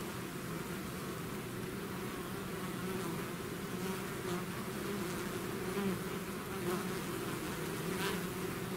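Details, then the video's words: Bee swarm out of its hive, natural buzzing: a dense, continuous low drone with steady hum bands, overlapping wingbeat tones from many bees, level constant throughout. "bees therapy swarm natural buzzing sound"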